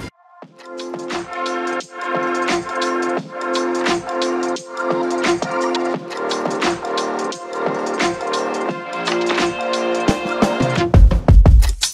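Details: Loud electronic music with regular beats and layered tones plays throughout, and no animal sound is heard.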